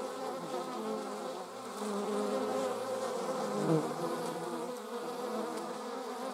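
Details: Flying German wasps make a continuous layered buzz, several wingbeat drones crossing one another, rising and falling as individuals pass nearer, with a brief louder swell midway.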